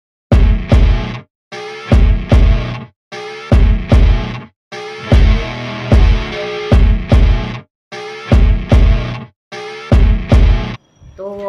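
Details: Loud rock music plays in repeated chopped bursts, with no animal sound.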